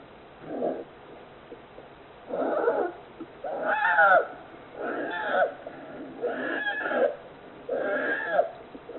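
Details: Polar bear cub, 41 days old, born 26 December 2020 at Oga Aquarium GAO in Akita, Japan, to mother Yuki, snoring loudly: rough rasping breaths repeated about every 1.5 seconds, each a broad buzzy burst.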